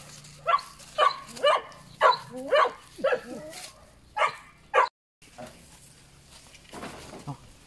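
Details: Puppies giving a run of short, high yipping barks, roughly two a second for about five seconds, some with a thin whine at the end, then a pause and a softer, scratchier sound near the close.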